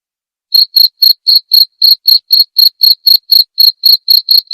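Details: Clear cricket chirps recorded as tutoring material for white-rumped shama songbirds: after a short silence, crisp high-pitched pulses follow at a steady four per second with nothing else audible.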